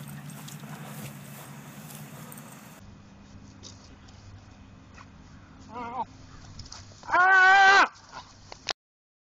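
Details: Doberman Pinscher pup Moses whining. A short wavering cry is followed by a longer, loud, quavering harmonic whine near the end. Earlier there is low indoor rumble and faint speech.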